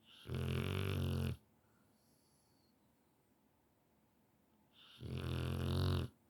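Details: A Rottweiler in deep sleep snores loudly, two long rumbling breaths with a gap between them.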